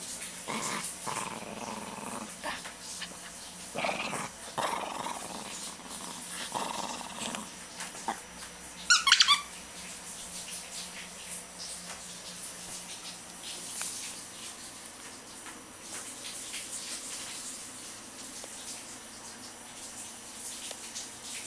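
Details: Shih Tzu; playful growls; releasing pent-up energy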